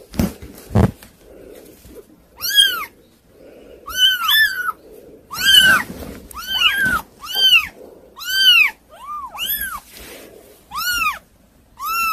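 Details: Hard-to-control kittens giving clear, separate high meows, each a short rise-and-fall, repeated roughly every second over a faint murmur and an early thump.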